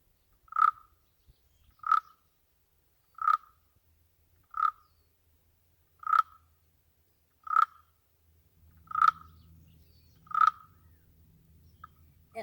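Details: Barking frog, a 2-inch frog of rocky outcrops that lays eggs in dry crevices: short, sharp single barks at one mid pitch, eight of them spaced about every 1.4 seconds, with a faint low hum entering near the end.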